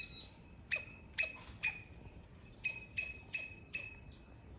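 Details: Sri Lankan palm squirrel in Sri Lanka giving sharp, high chip notes, three loud ones then four softer ones, spaced roughly half a second apart, over a steady thin high whine.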